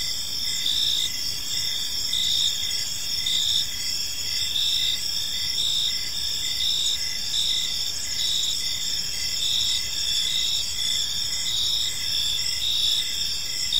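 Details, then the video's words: Many crickets sing in a park at evening, producing an unbroken high-pitched chorus of fast repeated chirps in stacked bands, steady in loudness, with faint low ambient hum. "Park Serenade: Cricket Sounds in a Peaceful Park | Evening Ambience"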